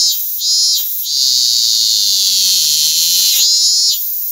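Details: Robust cicada discovered singing close by: a loud, shrill, high-pitched continuous drone that briefly dips and swells near the start and again after three seconds, with a faint lower hum underneath.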